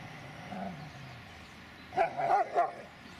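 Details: Dobermann named Mayhem der Biss von Einherjer, aged 3 years 9 months, gives a quick run of three short, sharp barks close together after a quiet stretch of low background hum.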